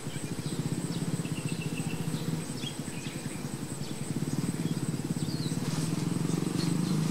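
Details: Honey bees at their hive, a steady low droning buzz that pulses and wavers throughout, swelling louder toward the end, with faint high ticks and a constant hiss in the background.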